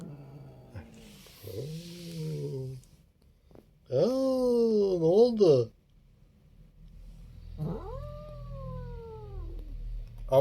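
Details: Çaki, a pet cat, gives three drawn-out meowing cries: a low flat one, then a loud wavering, rising-and-falling yowl, then a higher cry that slides down at its end, with short quiet gaps and a faint low hum behind.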